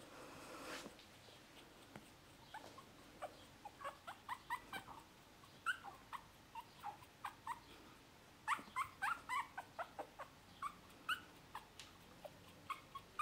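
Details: Male dog from litter P, recorded 12 May 2018, giving a long series of short, high squeaky whimpers, often rising or falling, in irregular bursts with brief gaps, over a quiet background with a faint hiss.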